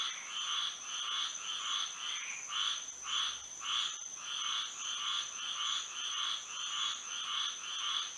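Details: Several frogs singing together on a moonlit night in Florida, rapid rattling croaks pulsing close to twice a second without pause, accompanied by a persistent high, thin steady tone.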